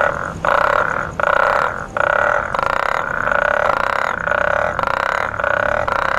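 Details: African tiger frog (sewer frog) calling in Accra: loud, nasal, harmonic croaks repeated about every half second, around ten in a row, with toads (Bufo regularis) calling in the background.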